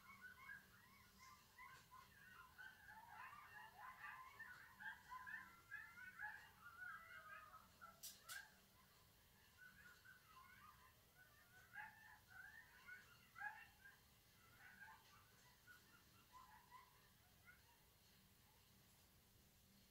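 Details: Coyotes in a group chorus of rapid, overlapping high yips and wavering howl fragments, bursting irregularly for about twenty seconds. The chorus is quiet, peaks midway, then thins into scattered yelps.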